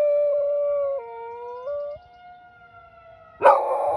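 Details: Household dog answering a nearby tornado siren test with sustained tonal howling that dips and steps back up. It fades to near quiet, then a harsh new howl bursts in at the end, with the loud siren drone throughout.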